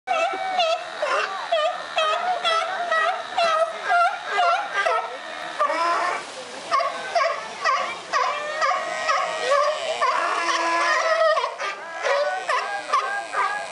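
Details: Several very vocal sea lions, one perched on a rock, calling over and over: a dense chorus of harsh, harmonic barks and honks, roughly two per second, overlapping and rising and falling in pitch.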